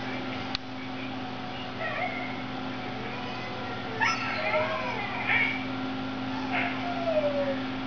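A Siberian Husky sings in soft, wavering howls that slide up and down in pitch.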